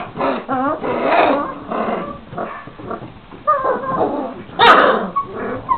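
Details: Litter of 26-day-old Šarplaninac puppies giving low, blurred whines and wavering whimpers, one brief louder squeal near the end with a sharp click.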